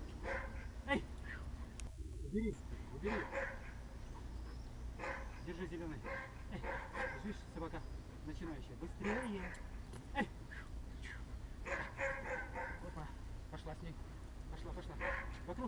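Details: German Shepherd named Magda (Gamma Amurskii) at a protection-training seminar with handler and decoy, giving repeated loud harmonic barks in irregular bursts throughout, mixed with people speaking and calling commands close by.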